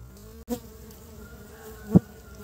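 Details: Honey bees gathering pollen for nest building in early spring: a short, close hum with clear steady tones, broken by two sharp knocks, one near the start and one near the end.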